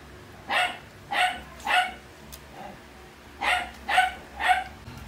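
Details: At breakfast a Shih Tzu barks while being offered scrambled egg. Three short, high yaps come about half a second apart, a pause of over a second, then three more in the same even rhythm.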